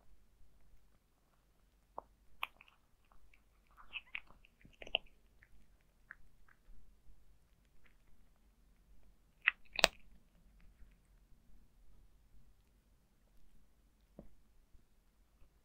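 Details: Zayka the cat munching dry food in a quiet room: faint rapid clicks and soft chewing throughout, with a few louder crunches and one sharp snap near the middle.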